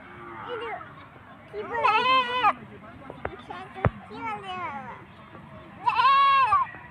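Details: A goat cries while an adult shows a child its mother across the road: three quavering, harmonic bleats of under a second each, spaced about two seconds apart, with talking and a couple of sharp clicks between.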